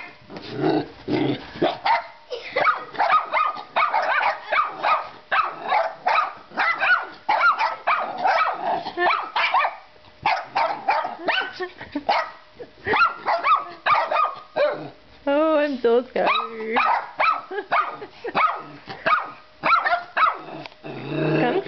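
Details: Pet dogs Panda and Europe barking excitedly at a baby doll, dense overlapping barks and yips through most of the stretch, with a wavering whine-like tone midway.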